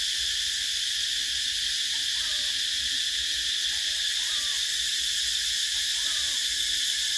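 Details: Summer cicadas fill the air with a constant high, rasping drone, steady in loudness, while faint short lower calls come through a few times in the background.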